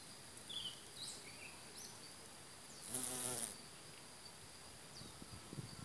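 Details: Carpenter bee, a pollinator of passion fruit among other plants, gives a brief, low, droning wing buzz as it passes, over steady high-pitched insect chirping in the background.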